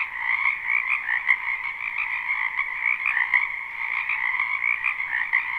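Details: Live spring wetland chorus of many frogs: overlapping croaks merge into a constant trilling hum, with a couple of sharp snaps briefly standing out.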